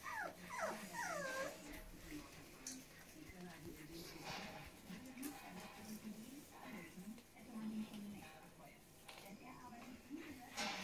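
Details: Großspitz (German Spitz) puppies on their 30th day of life, indoors: a burst of high, whining whimpers with arched, sliding pitch in the opening seconds, followed by steady human speech with softer murmurs.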